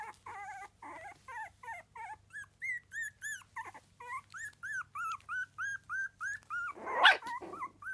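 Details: Loud, clear whimpering from three-week-old Miniature Dachshund puppies: a steady string of arched, nasal squeals with rich overtones, about two per second, with one sharp knock or bump near the seventh second.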